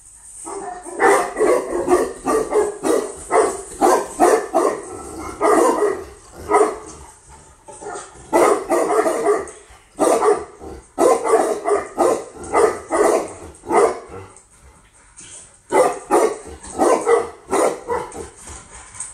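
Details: Female Tibetan Mastiff imported from Russia gives long runs of rapid, resonant barks, grouped in clusters with brief gaps between them, over a constant high-pitched hiss.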